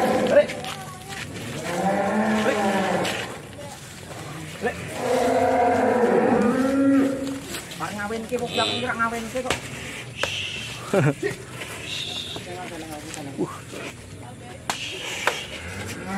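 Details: Belgian Blue cattle at a farm in Mijen, Semarang, Central Java, Indonesia; long, deep, wavering moos rising and falling over several seconds, with clapping, excited talking and cheering around them.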